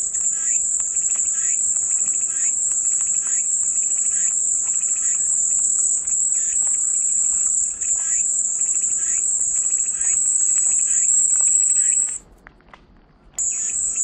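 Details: Cicadas sing in a shrill, constant high buzz lasting about twelve seconds before a sudden near-silent gap, after which the drone returns. Faint, regularly repeated chirps come from the background.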